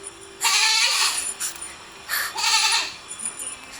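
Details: Goat bleating twice, each call a harsh, wavering, nasal cry of under a second, spaced about two seconds apart, with soft background noise between them.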